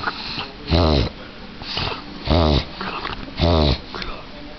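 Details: A female French Bulldog indoors clearing her throat, a habit she does often: three harsh, snorting honks with stacked grunting pulses, each about a third of a second, spaced roughly a second apart, with sniffing between them.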